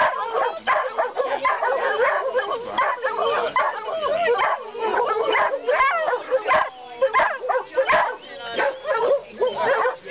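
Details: A pack of greyhounds sings as a group, with many tangled, warbling howls and yips rising and dipping. Some shorter yelps break through the steady chorus.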